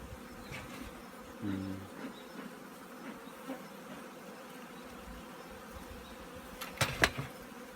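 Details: Low, continuous drone from a colony of honey bees preparing for winter at an apiary, with a brief stronger buzz early on and sharp clicking knocks near the end.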